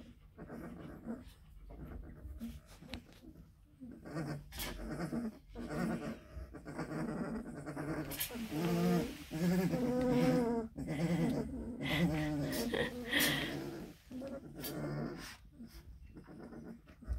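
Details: A nest of Black and Tan Coonhound puppies two weeks old, just given wormer, grumbling: soft scattered grunts and snuffles, then a louder run of wavering whimpers and moans midway, tapering to sporadic grumbles.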